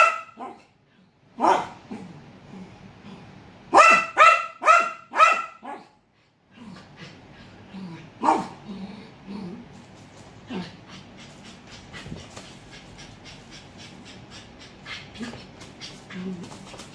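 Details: Dog barking on first sight of a leopard gecko: a single bark, then a rapid run of five loud barks, followed by fainter scattered barks and low grumbles against a steady background hiss.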